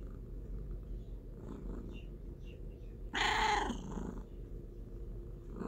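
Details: Continuous low, rumbling cat purr with a brief, loud, harmonic meow-like cry just past the midpoint.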